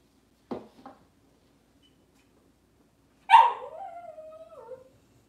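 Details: Cavalier King Charles Spaniel at home in a kitchen on a cloudy Monday morning: two short soft yips, a pause, then a loud bark that stretches into a drawn-out, slightly falling whine.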